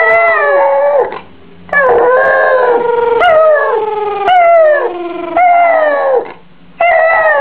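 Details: Benji the Yorkshire Terrier, a family dog, lets out repeated howls indoors, each a few seconds long with falling, quavering tones and sharp breaks between them, about two dozen per minute.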